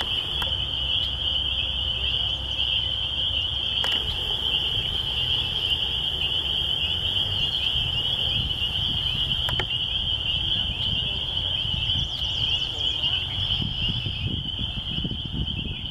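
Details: Chorus of spring peepers in the countryside near a church, an unbroken high-pitched ringing wall of overlapping peeps held for the whole stretch, over soft low rumbling noise.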